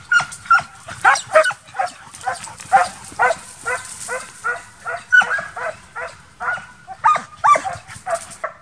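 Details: Loud, evenly spaced barks from young Transylvanian Hounds during midsummer wild boar hunting training, roughly two per second, each sharp and harmonic, with little other noise.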